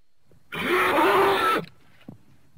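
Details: A horse gives one harsh, breathy call lasting about a second, rough and noisy with a faint tonal line that rises slightly through it. It ends abruptly, then near silence follows with one soft thump.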